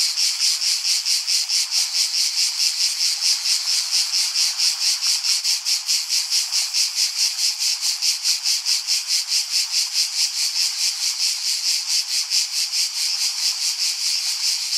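A cicada sings a loud, continuous, high buzzing trill with rapid pulses throughout.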